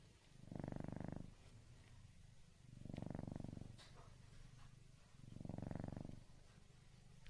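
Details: Sleeping tuxedo rescue cat snoring indoors: three long, low, rumbling breaths with a faint purring texture, each lasting about a second and repeating roughly every two and a half seconds, with quiet between them.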